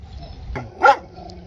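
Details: A dog gives one short, sharp bark with strong harmonics in the middle of the clip, preceded by a fainter click-like sound against a low background hum.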